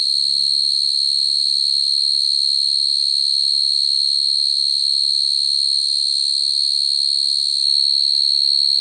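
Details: Night-time calling song of a field cricket summoning females, used as a trapping lure: a steady, high, ringing trill sustained throughout without a break, with a faint low rumble underneath.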